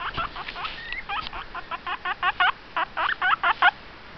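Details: Pet guinea pig making noise: a quick series of short, squeaky, bent notes with harmonics, about fifteen in four seconds, getting louder toward the end, over a quiet room background.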